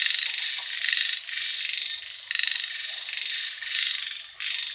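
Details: Frog chorus recorded in rain, with rasping, trilled croaks that swell and fade in bursts of roughly one second and sharp restarts, several callers overlapping throughout.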